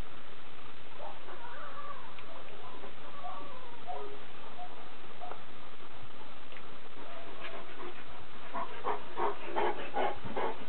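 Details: Several Kuvasz puppies: wavering, drawn-out whines early on, a quieter stretch, then a quick burst of short, sharp yelps repeated rapidly toward the end, against a constant hiss.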